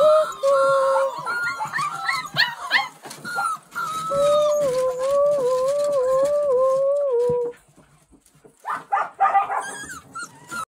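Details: Border Collie dog giving drawn-out whining cries with a stepped, wavering pitch for about seven seconds, then a pause followed by shorter yelps and some scattered noise.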